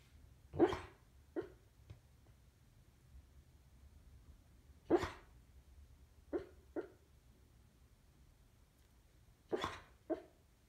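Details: Pet dog, a lover of squirrels, woken from sleep by hearing the word "squirrel": short sharp single barks and softer yips spaced a few seconds apart in an otherwise quiet room.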